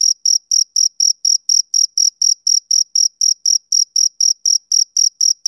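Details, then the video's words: A male cricket chirps through a summer evening, giving a clean series of shrill, evenly timed pulses, around twenty in five and a half seconds, all at the same high pitch and level. "Cricket Chirping Sound Effect"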